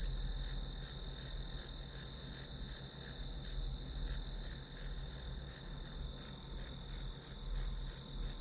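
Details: Grass insects heard behind quiet study time: crisp high chirps repeated nearly three times a second in an unbroken series, with a low steady hum underneath.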